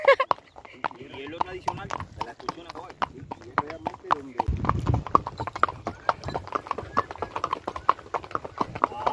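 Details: Horse carrying a rider along the trail to the Javira waterfall in El Cubano Natural Park, Trinidad, Cuba; a steady run of sharp clip-clop hoofbeats on the path, under continuous talking from the rider.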